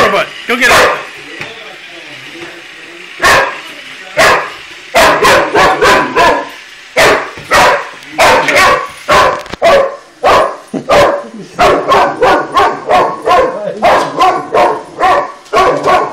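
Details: Pet Boxer Shoeless squaring off against a toy robot, barking in rapid, insistent bursts, with runs of quick barks clustered closely together after a few slower opening barks.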